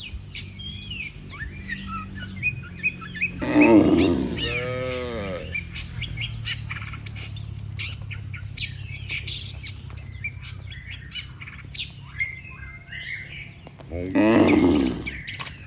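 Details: A herd of dozens of cattle walking in an orderly line on a road, lowing to call the group home; a long, rich moo with stacked harmonics early, a shorter one at the end, and busy bird chirps between them.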